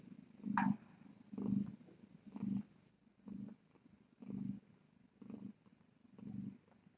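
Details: Purring cat Tip on a TinyKittens Society live cam at night, rhythmic low rumbling in even swells a little under a second apart, each breath in and out heard as a soft pulse, with quiet room hiss.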